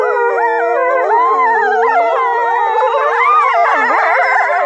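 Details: Several Norwegian gray wolves (Canis lupus) howl together in a chorus, long tones sliding up and down and weaving over one another.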